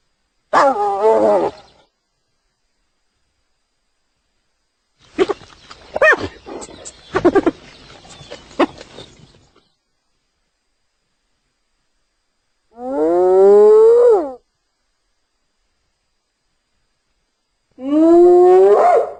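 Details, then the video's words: Hyena calls spaced out by silence: a short harmonic cry, a patch of scattered grunts and clicks, then two long, loud, rising whoop-like calls that climb steadily in pitch. "Real Hyena Sound I Sonido de Hiena Real I Vrai Son Hyène"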